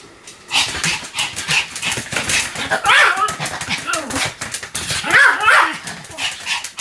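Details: Sam, a Pomeranian, barks on and on: after a quiet half second, a dense stream of shrill yaps and bow-wows follows, loudest in two ringing peaks.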